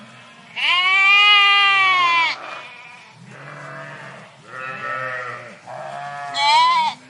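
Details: A flock of sheep in a park bleats in loud, wavering baas, several voices overlapping.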